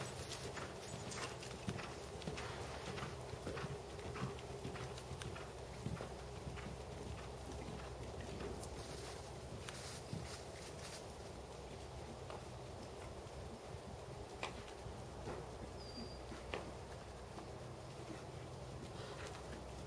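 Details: Dressage work by a black 7-year-old Percheron/Thoroughbred cross gelding, 16.2, shown at 1st Level: soft, irregular hoof strikes about 100 per minute against a droning background, with a brief high chirp late on.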